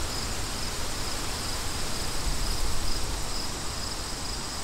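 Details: Crickets outdoors in wind: a thin, high, steady chirping pulses about four times a second, partly buried under a loud, low rushing roar of wind.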